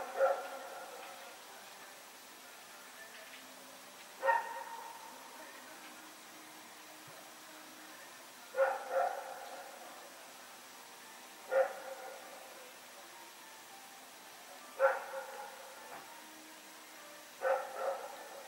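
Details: Rex the dog running around at night, recorded on 21 September 2018, giving single sharp barks and short double barks spaced a few seconds apart, with quiet background between them.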